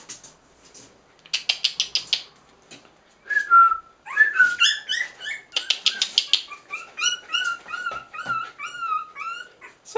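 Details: Three-week-old Cairn Terrier puppies at play give a busy stream of high, wavering squeaks and whines, some rising and falling, with scratchy rustling bursts between them and a louder whine around the middle.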